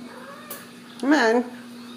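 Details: Ragdoll kitten at a home cattery in central Kansas, raised without cages: one short, bright meow rising then falling, about half a second long, in a small indoor room with a faint steady hum and a woman coaxing nearby.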